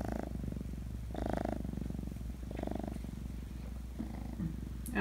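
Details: Feral kitten being socialized indoors, still sleepy after waking: a steady low rattling purr runs throughout, with a woman talking softly over it in several short bursts.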